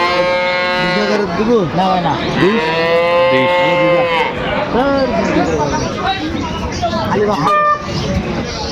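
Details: Cows with calves for sale at Aftabganj livestock market, Dinajpur, on 9 December 2025; a few drawn-out, harmonic moos rise and fall through the middle of the clip beneath constant chatter and bargaining voices of the crowd.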